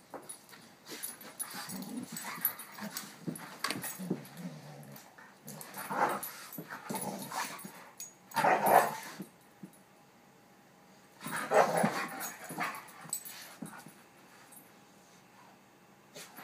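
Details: Dog playing with her foster sister, giving several longer whining and yelping bursts, the two loudest about three seconds apart, with quieter rustles and panting between them.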